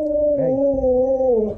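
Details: Siberian Husky vocalizing after meeting his love: one sustained, steady-pitched howling whine with strong harmonics, dipping slightly at the end, lasting under two seconds with no other sounds.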